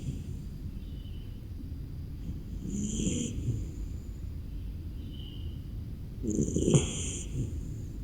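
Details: A beagle asleep in its kennel on a cold, rainy morning snores with two soft, breathy rasps a few seconds apart over a low steady rumble.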